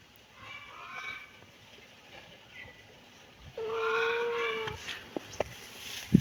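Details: Kittens meowing: faint early mews, then a louder drawn-out cry lasting about a second, followed by sharp clicks and knocks.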